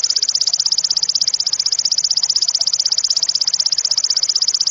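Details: Cililin insect, used as masteran material for training competition songbirds, with a sharp, loud voice; a continuous, very high, shrill trill of rapid even pulses runs steadily throughout with no pauses, over faint background noise.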